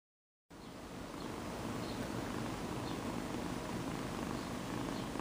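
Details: A male kitten purring loudly for the camera: a steady, low, rumbling purr with fine rapid pulsing that runs continuously after a brief silent start, with no other clear sounds.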